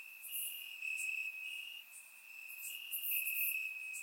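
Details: Crickets chirping in grass on a warm summer night in Bulgaria, recorded with a surround microphone; a steady high ringing trill that swells and fades in waves, with brief higher chirps from other insects above it.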